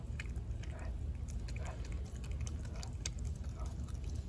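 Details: Four-month-old American Blue Bay Shepherd puppy Denali gnawing her raw turkey neck, with wet crunches and quick, irregular snapping bites over a constant low background rumble.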